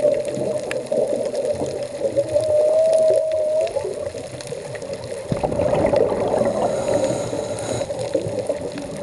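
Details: A humpback whale, recorded while diving off Puerto Vallarta, sings one smooth, sustained moan. It rises gently and holds for over a second over rumbling, gurgling underwater noise.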